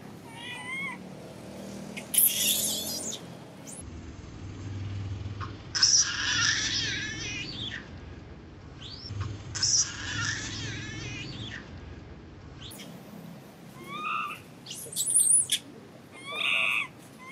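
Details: Baby monkey crying loudly and angrily after its mother refuses it milk and does not comfort it; shrill, harsh, wavering screams in bursts of one to two seconds, separated by quieter gaps.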